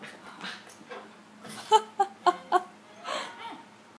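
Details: Biscuit, a puppy who got a little angry, gives four short, sharp, pitched yaps in quick succession, about one every quarter second, then a fainter whiny grumble; a person's voice is heard faintly at the start.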